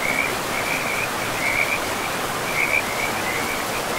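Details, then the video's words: Short stretch of frogs by a river in a pristine forest, giving quick bursts of rattling croaks about every half second above a dense wash of river noise. "River and Frogs sleep sounds"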